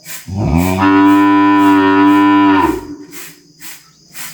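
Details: A calf moos in a single sustained bellow of over two seconds, full and even in pitch, then soft rhythmic scuffing sounds follow.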